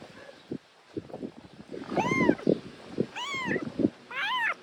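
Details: A rescued homeless kitten, found alone in rubble one morning and meowing nonstop, gives three high, thin meows, each rising then falling, about a second apart, over scraping and rustling sounds.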